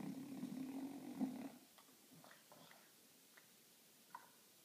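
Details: French Bulldog napping happily in a funny position, giving one long rough low snore over the first second and a half, then quiet breathing with faint soft snuffles.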